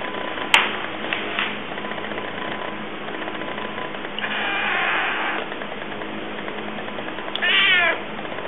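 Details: Evil Penguin, an African cat with one blue and one yellow eye, grows a little aggressive at his dinner; a longer, rough, wavering wail is followed by a short rising-and-falling harmonic yowl, with a sharp click near the start.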